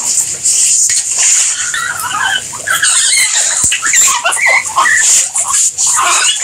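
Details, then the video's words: Guinea pigs giving a busy string of short, high squeaks and chirps, overlapping and uneven, with a steady hiss in the background. "Guinea Pigs Sound"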